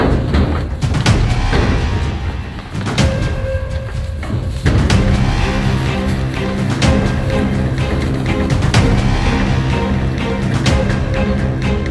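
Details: Loud dramatic music with pounding drum beats and sustained tones fills the scene, with no animal calls audible.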